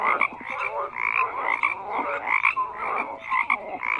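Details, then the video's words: A thick frog chorus of croaking: rapid raspy calls pulse every half second or so while short whistled notes dot the background. "FROGS CROAKING"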